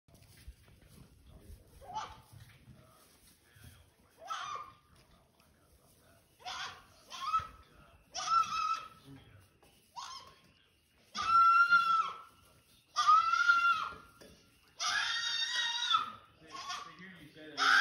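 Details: Baby goat on a farm in Athens, Tennessee, on March 31, 2022, crying for the farmer's attention while he talks on the phone behind a fence. Wavering, harmonic bleats grow louder and longer, mixed with a man's speech.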